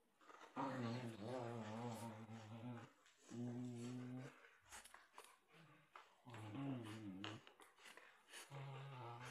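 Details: A Samoyed and a white Husky playing tug with a toy indoors. Long, rumbling, harmonic growls run about two seconds each in four bouts separated by short pauses, with scuffling and clicking noises between them.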